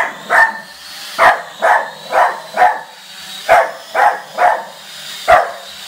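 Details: Sharp, punchy barks from a dog reacting to a drone, roughly one a second with small uneven gaps, nine barks in all over a faint continuous high whine.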